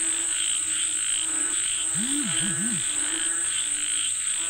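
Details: Frogs calling for rain in Thailand croak in a pulsed chorus beneath a steady high insect whine, while a brief low wavering, swooping tone rises and dips twice in the middle.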